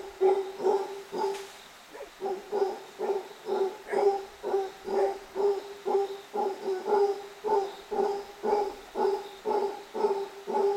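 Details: Howler monkeys playing below lots in Nuario, Panama; one gives a steady series of short, throaty barking grunts, about two each second.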